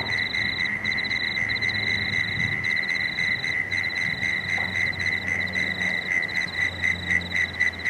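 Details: Evening frogs on the Cooks River in Marrickville give a continuous rapid pulsing, about four notes a second, over a higher pulsed layer and intermittent low hum in the background.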